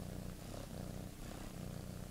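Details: Close, deep purring from Teddy the pet cat, a dense low rumble pulsing rapidly and evenly throughout.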